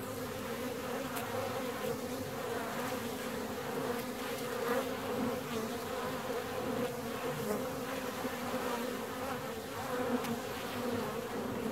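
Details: Honey bee hive 17 days after splitting, filled with a continuous low hum and strong harmonic bands that swell slightly and ease, with occasional faint clicks.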